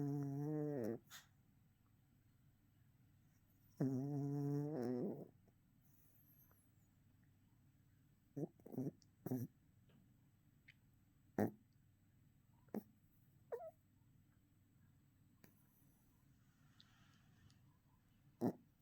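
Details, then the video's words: Yorkshire Terrier puppy in deep REM sleep, twitching, kicking and dreaming. Two raspy, buzzy snores come near the start and at about four seconds, followed by quiet scattered clicks and soft snuffles against faint background hiss. "Yorkie Pup Snoring Dreaming Twitching Kicking REM Rapid Eye Movement"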